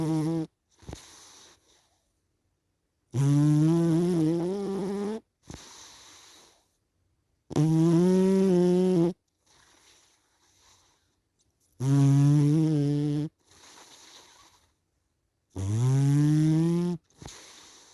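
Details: Cat asleep and snoring regularly: four loud, buzzy, harmonic in-breaths spaced about four seconds apart, each followed by a quieter, hissing exhale, with near silence in between.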